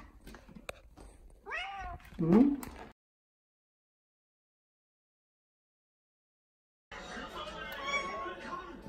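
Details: A pet cat seeking affection gives two short, whiny, rising-then-falling meows close by. A stretch of silence follows, then busy indistinct indoor background sound.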